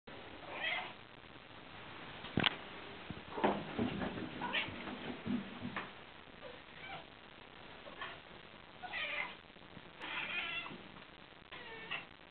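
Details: Two Scottish Shorthair cats indoors hunting a fly in a room and talking to it: short, scattered, breathy chirps and chattering bursts at irregular intervals, with one sharp click early on.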